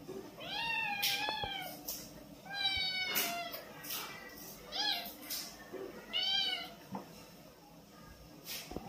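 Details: Kitten with blue eyes playing with its mother, giving a series of harmonic meows, some rising then falling, roughly every one to one and a half seconds, with soft clicks and rustling between calls.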